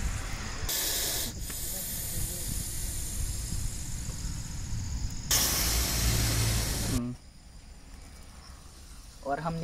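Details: Aggressive Russell's viper hissing during a rescue in farmland near Baramati, Maharashtra, India. Two loud, harsh broadband hiss bursts, one short and one longer, stand over a low rumble, followed by quiet and a brief voice at the end.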